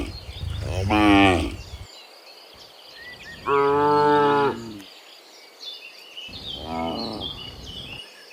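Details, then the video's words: Afternoon herd of dozens of cows walking from the fields to the pen; three lowing calls about every three seconds, the middle one loud and steady, with bird chatter and a faint outdoor hum. "Sound Dozens of Moo Cows Walking Home from the Fields to the Pen in the Afternoon, Sound of Cows"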